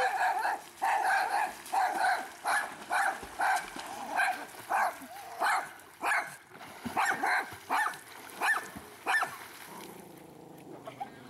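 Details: Pet dog getting upset and barking as someone swims and goes under the water in a private pool; a run of sharp barks repeated about every half second to second, with some splashing and voices nearby.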